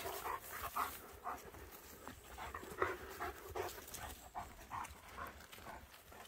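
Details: Panting German Shepherds out wandering in a forest: steady, breathy puffs repeating about twice a second, mid-pitched and airy, with faint rustle of movement underneath.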